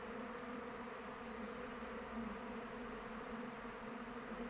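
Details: Brief stretch of honey bees circling their hive in open weather: an unbroken, busy droning buzz from many insects at once.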